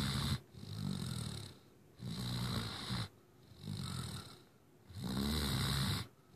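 A Great Dane puppy snores steadily, each breath a low, rattling rumble of about a second. Quiet pauses separate the breaths, giving a slow, uneven rhythm of roughly twenty snores a minute.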